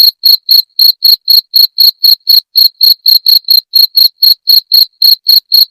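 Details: Cricket sound for chasing rats away, from a jangkrik genggong: high, ringing chirps pulsed steadily near four per second for almost six seconds, about twenty-two in all, with clean silence between them.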